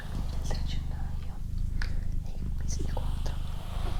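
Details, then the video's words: Low, continuous purr from Doroti, a female house cat, pulsing in short breath-linked phases with brief pauses near one and a half and two and a half seconds, overlaid by faint whispering. "Cat Purring"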